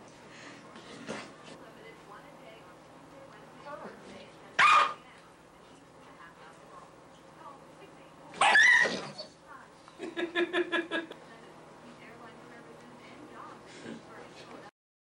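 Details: Little dog Shelby enforcing the house rule of no big dogs on the couch, keeping a Labrador off it; two sharp isolated bursts, then a quick run of rapid yaps near the end, over steady human talk indoors.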